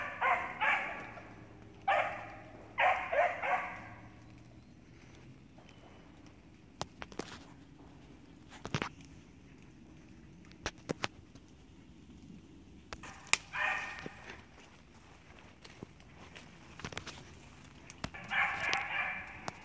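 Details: Six-month-old Beagle puppy giving short bursts of barks and yips at the start and again near the end, with long quiet stretches and scattered clicks and knocks between them.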